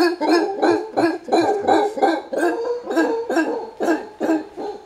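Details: Angry alpha male howler monkey in Panama, trying to chase people away from his group's territory, gives a rapid series of harsh, guttural grunting barks, roughly three per second, each short and raspy, with no other clear sounds.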